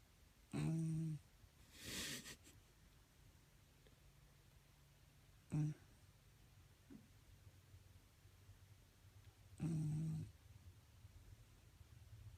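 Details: A really tired Corgi snoring indoors: low, throaty, buzzing snores recur every four to five seconds, some longer and some brief, with one breathy hissing exhale between them in a quiet room.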